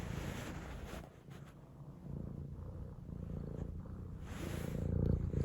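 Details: Soft, quieter purring from a house cat, a low vibrating rumble that fades in the second second and builds steadily louder toward the end, with faint handling noise.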